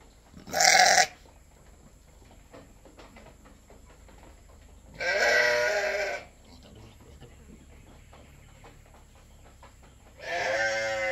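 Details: Goat being milked for a newborn kid gives three separate bleats, a sharp short one followed by two longer wavering cries, spaced several seconds apart over quiet background.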